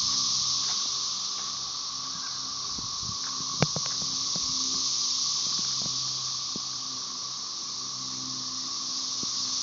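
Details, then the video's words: Periodical cicada chorus of Magicicada tredecassini and background M. tredecim, Brood XIX, Tyler Bend Park near Marshall, Arkansas, 30 May 2011; a dense, even, shrill buzz fills the recording, with one sharp knock and several lighter taps near the start. "Periodical cicada "cassini" chorus"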